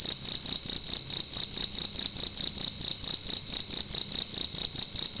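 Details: Cricket chirping loudly indoors in a room at night: a steady, shrill high-pitched trill pulsing in short rapid bursts, about two to three per second, with faint low rumble underneath.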